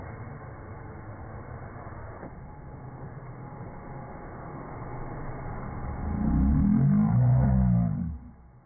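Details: Rhodesian Ridgeback named Django reacting to a vacuum cleaner he doesn't like; a long stretch of low machine hum and rumble, then one deep, throaty growl near the end lasting about two seconds.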